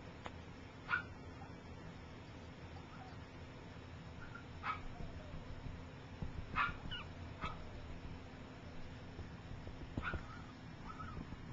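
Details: Gypsy's three-week-old puppies, some learning to walk and others sleeping, let out brief sharp squeaks at irregular gaps, a small cluster mid-way, against a constant low background hum.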